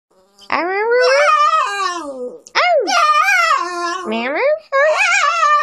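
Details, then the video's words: A 9-year-old female dog, moody after having the hair trimmed from around her eyes and nose, talks back to her owner in drawn-out, wavering howls that bend up and down in pitch, with short pauses between phrases. "Talking to ugly dogs"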